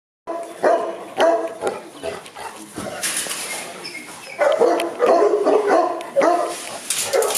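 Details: Boerboels at a kennel in Accra barking; several dogs give irregular, mid-pitched barks in overlapping bursts, with a noisy hiss in the middle.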